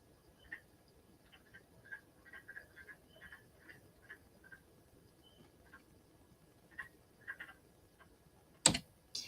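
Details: A wood frog, found in damp woods in spring after hibernating under leaf cover in New York, gives short, raspy, duck-like clucks in loose, irregular bursts.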